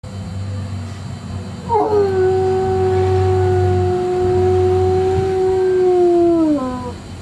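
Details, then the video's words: Pet dog, rarely a barker, howling at home for no apparent reason: after a quiet start, one long steady mournful howl with rich overtones, held about five seconds, then sliding down at the end, over a low background hum. "Kaiser Howling"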